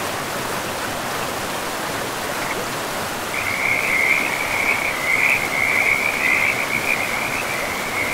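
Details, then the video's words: Frogs calling beside a river in a pristine, moss-covered forest: after a few seconds of steady rushing water, a continuous high, rattling trill of rapid chirps rises and carries on over the flowing stream to the end. "River and Frogs sleep sounds"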